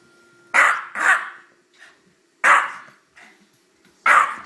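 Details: A 13-year-old Yorkshire terrier sneezing during a play-fight with a pit bull. Four short, harsh bursts: two close together, then two more spaced about a second and a half apart, over a faint steady hum.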